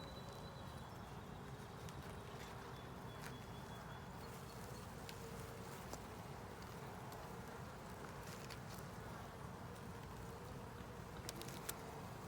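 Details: Many honey bees humming during an inspection of a 10-frame deep with a honey super. The drone is continuous and low, with a faint steady tone and occasional clicks and knocks as frames are lifted.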